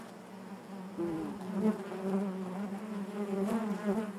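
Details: Constant hive drone of honey bees, a low rich hum with wavering upper tones that grows fuller after the first second and stays dense throughout.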